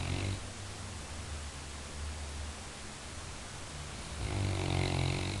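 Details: Sleeping Labrador Retriever, jokingly called the best guard dog, gives a low rasping snore at the start, then steady deep breathing, then a second longer, louder snore toward the end.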